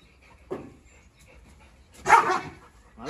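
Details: Dogs quarrelling through a cage: a female Presa Canario out of her pen confronts a Rottweiler she has feuded with since a fight over chicken; two short harsh barks about a second and a half apart, a faint tone in the background.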